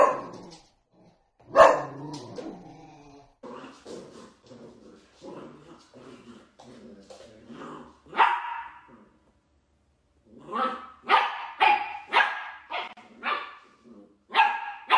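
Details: Playful Dachshund puppies, sausage dogs at play, giving a run of sharp high barks and yips, some bursts short and clipped, others rising into louder squeaky yelps near the end, with brief quiet gaps between.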